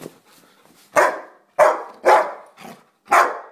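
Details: Jack, a Rottweiler crossed with German Shepherd, barks four times in quick succession, loud and harsh, roughly half a second apart, with a faint softer sound between.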